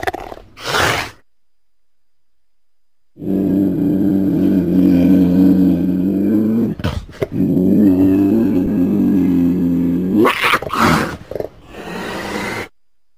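A cougar gives a deep, rumbling growl that holds steady for several seconds, broken by sharp hissing bursts.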